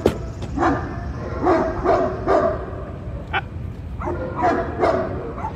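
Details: Brindle male Great Dane puppy, about 11 weeks old, rescued at a livestock auction, during a training session at a house in Ipswich, Massachusetts; short, irregular barks and yips come in quick bursts over steady indoor background noise.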